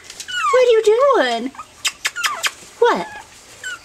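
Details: Litter of 5.5-week-old Pomeranian puppies, February 19, 2013: drawn-out tonal whines that slide and fall in pitch, a cluster in the first second and a half, then brief squeaks and a final falling yelp, indoors.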